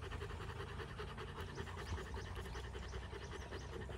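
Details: Rapid, regular huffing pants from Rottweilers after a fight on day 59, each breath a short breathy burst in quick succession, over a low hum.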